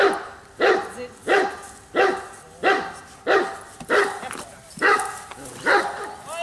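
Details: Bayuma, a Giant Schnauzer, barks eight times in an even rhythm, one sharp, full-throated bark about every seven-tenths of a second. Background is quiet between barks.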